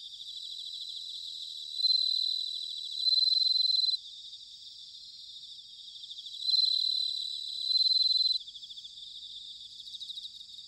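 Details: Autumn night insect chorus from Sanuki, Chiba, Japan, recorded with a ZOOM H6 or TASCAM DR-05X, led by a bell cricket: bright high ringing phrases come in paired bursts, repeated about five seconds apart, over a continuous trill.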